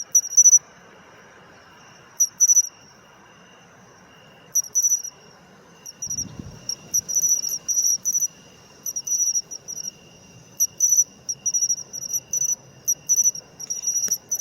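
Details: Matsumushi (pine cricket) singing, an autumn insect voice; very high ringing chirps in quick trilled groups, sparse at first then more frequent later, with a short low bump midway.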